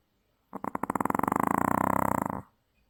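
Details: Maltese dog sound asleep and exhausted after a trip to the beach, giving one loud snore: a fluttering, rattling buzz of rapid pulses lasting about two seconds, steady and unbroken, in a quiet indoor room.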